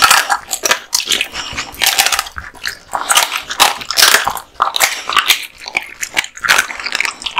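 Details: Male American Bully (Pit Bull) dog, born 2016, eating raw meat and bones indoors in a small room: dense wet crunches and sharp biting snaps, rapid and irregular, with short pauses between bursts of chewing.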